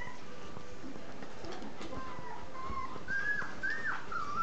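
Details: Nursing three-week-old puppies from a Z-litter; thin, wavering whines grow louder and closer together toward the end, one bending upward then dropping, against a background of shuffling and sucking noises.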